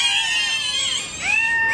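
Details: Newborn Pembroke Welsh corgi pups just delivered by Caesarean section and revived: a chorus of thin, high, wavering cries, dipping briefly, then rising again with a sustained squeal.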